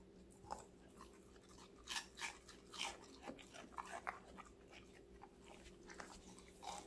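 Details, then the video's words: Five-month-old female Golden Retriever Connie munches various vegetables in a small room. Soft scattered crunches, a few stronger bites around the middle, over faint room hum. "강아지 각종야채 먹방 l 사각사각사운드 🌿Various vegetavles🌿REAL SOUND"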